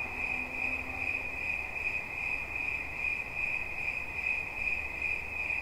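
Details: Cricket singing a steady, high, ringing trill that holds unbroken at one pitch with a faint pulsing texture, plus a brief low hum near the start and a soft background hiss.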